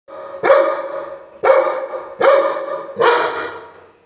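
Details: A Labrador Retriever in an angry moment gives four loud, deep barks, each about a second apart.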